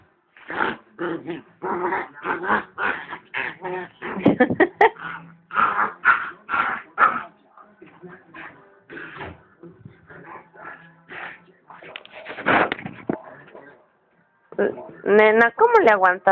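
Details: Female pit bull, rescued from the streets two years earlier, being attacked by another dog; rapid runs of high, harmonic yelps and cries, roughly two per second, a quieter stretch, then long wavering whines, with people's voices nearby.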